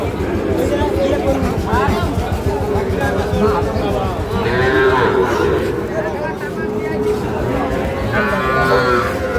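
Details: Three-month-old Sahiwal calves at the Ambari weekly market, Parbatipur, Dinajpur, 11 May: loud talking dominates, with two mid-pitched moos breaking through in the second half.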